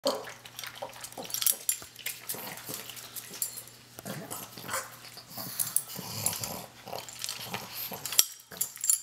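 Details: Asia, a pug, eating her breakfast and sounding like a piggy: rapid snuffly, wet snorts and grunts in irregular bursts, with faint clicks of food and bowl in the background.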